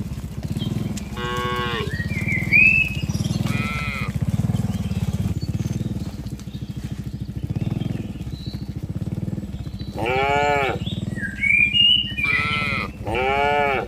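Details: Two short moos open the recording of a tame cattle herd being driven from green fields to the pen. A quieter stretch follows, then a burst of three overlapping loud moos near the end, with bird chirps and a persistent low hum.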